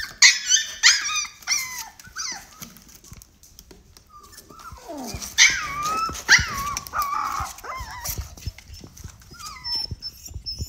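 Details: Siberian Husky puppy at mealtime whines and yips in high, sliding cries, several clustered bursts with a quieter gap in the middle, mixed with clicking and eating noises.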